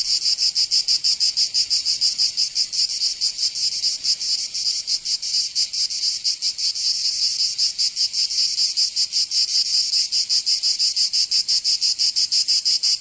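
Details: Chorus of cicadas in the Provençal summer, southern France: harsh high-pitched rasping that throbs in fast, slightly uneven pulses for the whole stretch, nothing else audible.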